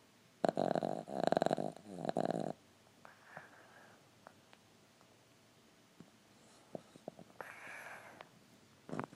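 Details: Sleeping Boston Terrier foster dog snoring indoors: a long, loud rasping snore broken into several pulses, then quieter breathy exhales and faint clicks, ending with another short snort.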